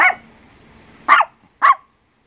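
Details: Papillon dog, a pet, giving three short, sharp barks about half a second apart, the first clipped at the start. Each bark is bright and punchy, with quiet room tone between them.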